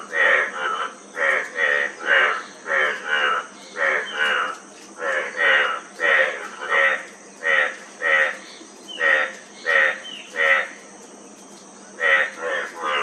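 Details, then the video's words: Several frogs giving pulsed, rasping croaks in irregular runs, short gaps between bursts and one longer pause near the end, constant high background hum. "Frog Sound--Frog Sound Effect 15 min"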